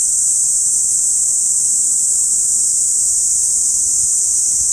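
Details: Cicadas singing together in an August park in Saitama City, binaural recording; an unbroken, shrill buzzing wall of sound at high pitch, steady in loudness from start to finish.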